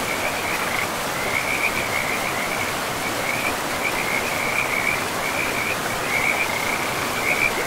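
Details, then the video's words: By a forest river, many frogs keep up a continuous trilling chorus, short rattling phrases following one another at an even pitch, heard over loud, unbroken rushing water. "River and Frogs sleep sounds"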